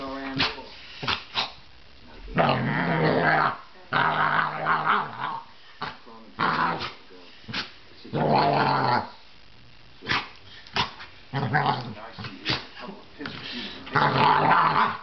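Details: A male basset hound, vocal while playing, growls and grumbles in deep, drawn-out bursts, with a person speaking between them.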